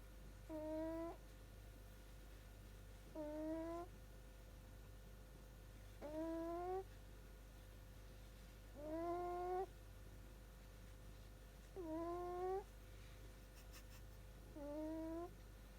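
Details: A sleeping Shiba Inu puppy snores in squeaky, whistled tones: six slightly rising nasal notes, each under a second, repeating roughly every three seconds in a steady breathing rhythm over a low indoor hum.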